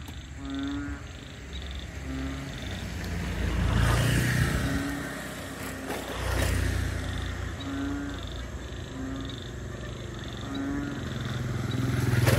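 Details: ['Wetland frogs at Bình Quới, Thanh Đa peninsula, Saigon, give short, low, harmonic croaks about every one to two seconds, with faint high peeps in a regular series. Rumbling passing vehicles swell in the background.']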